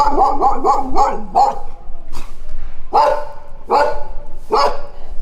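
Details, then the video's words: Dogs barking: a quick run of five rapid barks, a short gap, then three louder single barks spaced almost a second apart. "صوت الكلاب//The sound of dogs"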